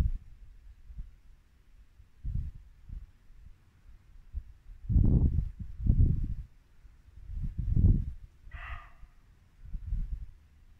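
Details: A single short, gruff bark of a muntjac deer sounds in Norfolk woodland at dusk in late winter, between soft surges of low brook and wind noise.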